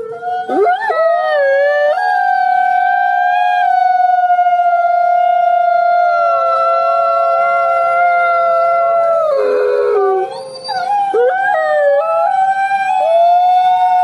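A wolf holds a long, smooth, mournful howl at a fairly even pitch, with slight wavering along its length. Near the end the note breaks and slides, then rises again into a second sustained howl.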